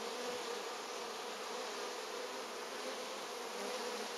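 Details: Dense, continuous buzzing of many honey bees at hive number 3 during August pollen foraging, a loud, uniform drone that holds steady throughout with no other clear sounds.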